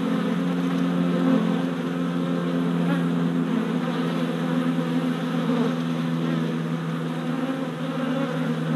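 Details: Worker honey bees making orientation flights at a new hive four days after a package was installed, 27 April 2017; a dense, steady, low droning hum of many wings with strong bands near the bottom and faint rumbling underneath.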